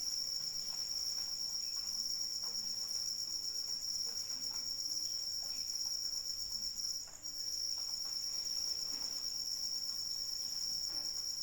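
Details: Continuous piercing cricket trill in the rain, steady and even, briefly dropping out for a moment near the seventh second before resuming, over gentle pattering raindrops.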